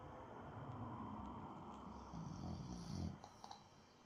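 A Boston Terrier snores with low, rumbling breaths that swell and fade in an uneven rhythm.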